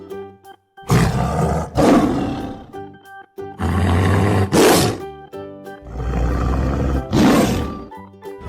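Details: Jaguar roaring in harsh, rasping bursts of about a second each, four loud outbursts spread over several seconds with low grunting undertones, over continuous background music.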